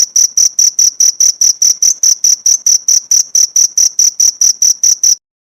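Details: Cricket sound for training pleci songbirds. Rapid, shrill, evenly spaced chirp pulses, about four per second, run for around five seconds, then stop abruptly into silence.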